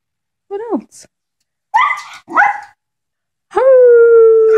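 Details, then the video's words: Two pet Shetland sheepdogs singing together at home: brief yelping, wavering vocal bursts, then a steady, even howl with a clear tone held for about a second at the end. "Sheltie Serenade"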